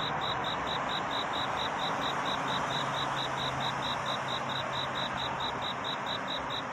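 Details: Cricket calling for a mate on a night turning to dawn: evenly spaced high chirps, roughly four per second, set against strong steady rushing noise and a low hum.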